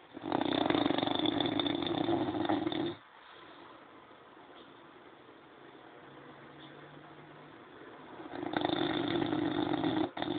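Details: French Bulldog snoring: a long, rough, rumbling breath lasting about three seconds, then a quiet pause of several seconds, then another harsh snore starting near the end.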